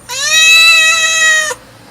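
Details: Domestic cat mewing: one long, drawn-out meow of about one and a half seconds, a steady, clear, tonal call with rich harmonics, held level and then cut off sharply, in a quiet background.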